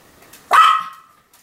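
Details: Continuous barking from Sam the Pomeranian: one sharp, high bark that trails off into a short ringing tail, with quiet before and after.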